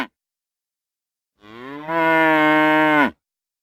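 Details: Single cow moo lasting about a second and a half, starting softly then swelling into a louder, steady, richly harmonic low bellow that cuts off abruptly; no background sounds.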